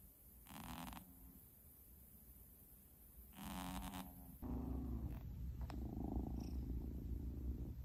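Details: Newly adopted male Munchkin kitten purring indoors: low rumbling bursts about half a second long, then a steadier, continuous low purr with soft rustling.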